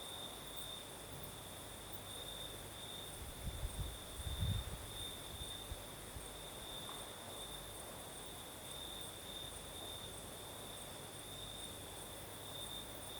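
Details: Crickets singing at night in the south of Crimea with a night breeze: a steady, high, continuous trill with a faint upper overtone, and a brief low rumble of breeze near the fourth second.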